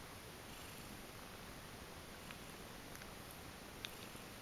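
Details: Quiet, steady purring rumble from kittens sleeping in a heap after a feed, with one small click near the end.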